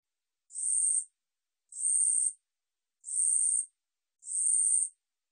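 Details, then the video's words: Korean 우리여치 katydid, National Institute of Biological Resources recording, 2020, sings four dry, high-pitched buzzes, each about half a second long and spaced roughly every 1.2 seconds, against total silence. "우리여치, 여러번 듣기, 곤충소리"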